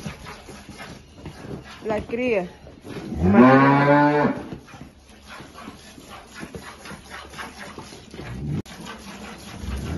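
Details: At milking in the El Salvador countryside, Holstein cows kept with their calves: a brief wavering call around two seconds in, then a strong, rich moo swelling and fading over about a second and a half, with faint barn sounds afterward.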